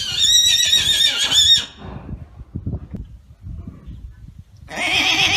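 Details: Arabian horse neighing: a loud, bright whinny with stacked high harmonics lasting about a second and a half, then quiet rustling and low thuds, and a second neigh starting near the end.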